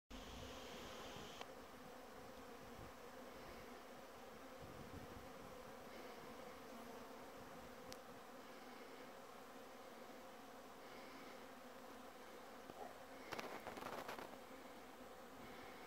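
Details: Bees buzzing around raspberries on 24 December 2017 at 13:00, 10°C with a light breeze; a steady low droning hum fills the clip, with brief louder rustles near the end.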